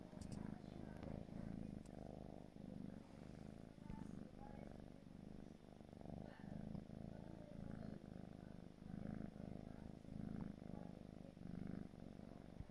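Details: Purring from a gray British Shorthair kitten aged four months: a low, throbbing rumble that runs without stopping, gently pulsing roughly every second as the kitten breathes in and out, with a few faint clicks early on.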